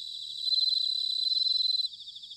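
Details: A bell cricket sings in autumn at Sanuki, Chiba, Japan, giving a loud, rapidly pulsed high trill for over a second. The trill then drops back into a softer, steady chorus of other crickets.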